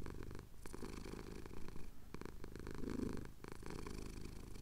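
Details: Male pet cat purring while his chin is scratched, Cotswold hills at sunrise, captured on a Tascam DR-07X; soft, low, rumbling purr in steady breaths, with brief breaks between inhale and exhale phases.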